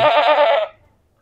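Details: Goat screaming a lot after being brought to an unfamiliar place around Eid ul-Azha in Noakhali; a single loud, harsh, wavering bleat of under a second that cuts off into quiet.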